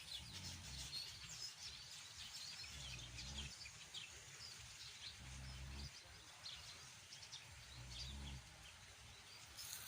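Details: Two pigs snoring loudly through a Sunday afternoon siesta in South Africa: deep, rough rumbling snores come in bursts about every two and a half seconds, while small birds chirp and twitter steadily in the background.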